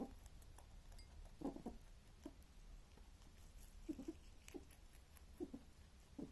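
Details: A male rabbit makes soft, low grunting snuffles and quick crunchy clicks while he eats.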